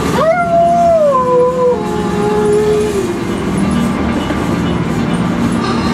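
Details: An Alaskan Malamute "singing" inside a camper gives a long, sliding howl that steps down in pitch over three seconds.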